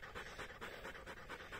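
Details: Rapid rhythmic panting from Hektor, a Polish Hunting Dog, worn out by a 22.5 km bicycle outing during a heatwave. Short airy breaths come about five times a second, evenly spaced.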